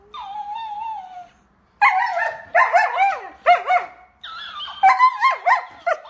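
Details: Siberian Husky vocalizes in a yodelling, talking way: a drawn-out whine, then bursts of wavering, bending howls and yips that rise and fall in quick succession.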